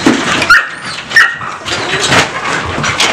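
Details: Shelter puppies in an enclosure at a dog shelter in Vinogradnoye near Gelendzhik, Russia, November 2020, eager for a walk; several short, sharp high yelps and barks overlap, with thin whining notes between them in a small, echoing space.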